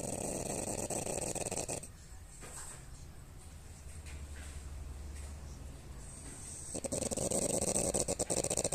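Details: A female French Bulldog snores loudly, with a rough, rattling drone that fades briefly before returning.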